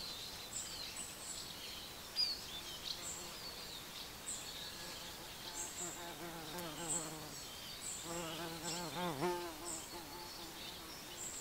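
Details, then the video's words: Little bees feeding at their breakfast: a droning, wavering buzz that rises and falls as insects pass close, in two bursts of about one and a half seconds each, over faint high bird chirps and outdoor background noise. "Little bees, enjoying their breakfast.Μικρές μέλισσες, απολαμβάνουν το πρωινό τους."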